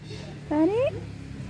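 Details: A domestic cat on its first visit to a playground, shocked and afraid of crowds and unfamiliar voices, gives a single clear meow. The meow lasts about half a second and slides upward in pitch over a low background murmur.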